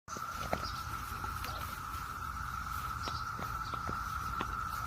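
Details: Brood X periodical cicadas in Maryland on a June morning in 2021: a continuous, even droning hum from the massed chorus, steady throughout, with scattered clicks and footstep-like taps in the foreground.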